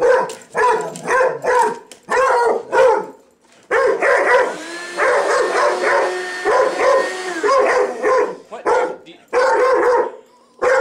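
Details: Male pet dog barking at a vacuum cleaner, with rapid harsh barks in clustered bursts, a longer run of continuous barking in the middle and brief pauses, while a person speaks briefly.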